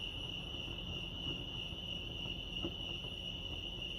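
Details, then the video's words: Lake Arrowhead crickets in California keep up a continuous shrill ringing tone at a single high pitch, with a faint low murmur and a few soft ticks beneath it. "Serenity sounds crickets chirping lake arrowhead"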